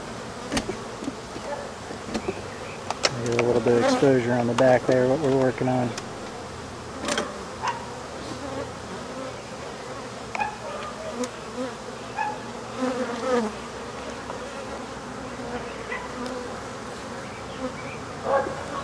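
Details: Buzzing of African honey bees during removal of their hive, when the colony is being killed: a low drone that swells into a loud, tonal whine for about three seconds, then settles back into a softer hum with scattered taps and clicks.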